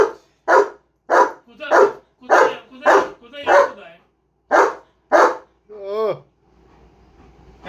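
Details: German Shepherd barking steadily: about nine loud, clipped barks at a quick even pace, then a drawn-out whining yelp, with a person's voice faint at the end.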